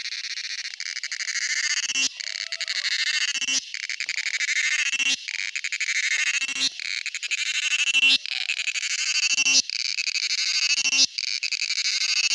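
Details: Buzzing drone from a male cicada, a high rasp broken into bursts by short gaps roughly every one and a half seconds, each burst pulsing rapidly.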